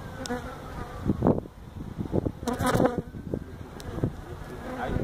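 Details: Feral honey bees buzzing during removal of their hive built inside a tractor tire, in a stack of tires at a citrus orchard in Mission, Texas; a low, droning hum with bursts of knocking and handling noise.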